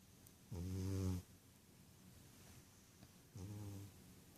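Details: Sleeping and dreaming indoors, the Ragdoll cat Rohan gives two low, rasping snores, the first about seven-tenths of a second, the second shorter, roughly three seconds apart over a quiet room.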